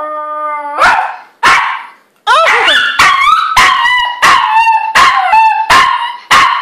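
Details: A dog barks loudly and repeatedly, opening with a steady tonal note held almost a second, then a wavering howl-like cry, followed by a rapid run of harsh barks about every half second.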